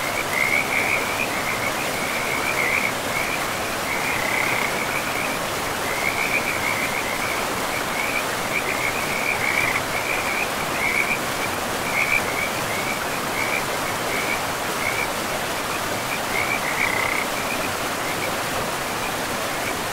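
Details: Forest river with frogs: continuous bursts of rattling croaks at a fairly high pitch, coming in short trains every second or so above the steady wash of flowing water.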